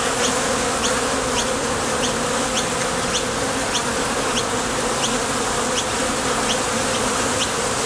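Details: Bees flying in and out of the entrance of a Top Bar Hive while foraging for nectar make a thick, unbroken buzz with a low humming tone; faint quick high chirps repeat in the background.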